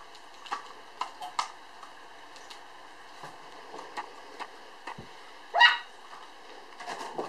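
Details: Standard Poodle puppy born on 1 July, filmed on 5 September at 3.8 kg, gives one short, sharp, rising yelp midway, with soft clicks and light tapping around it indoors.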